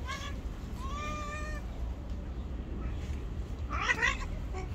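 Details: An angry white cat keeping everyone away gives a brief meow, then a long level drawn-out meow, and after a pause a harsh, strained cry, all over steady low-pitched background rumble.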